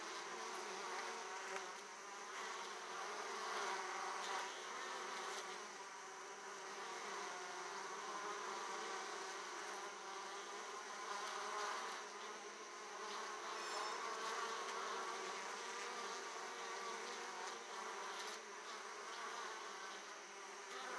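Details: Italian honey bees returning to the hive with a large load of pollen at the hive opening; a dense, steady, many-layered buzzing hum from many bees, with faint short higher whines scattered through.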